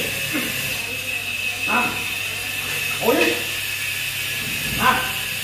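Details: Very large 47 kg Belgian Malinois barking during a training session at a kennel in Ho Chi Minh City. Short, sharp harmonic barks come at uneven gaps of about one to two seconds over a steady background hum, with a handler's voice nearby.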